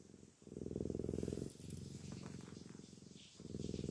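A Maine Coon cat gives a low, continuous purr, a buzzy rumble pulsing in long phrases. Brief dips mark the breaths between phrases, with faint rustling between them.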